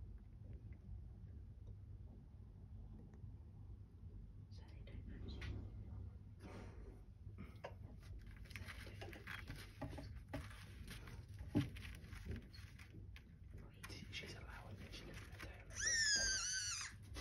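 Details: Leopard geckos (Eublepharis macularius) breeding: quiet rustling and scraping, then a sudden loud, squeaky chirp near the end.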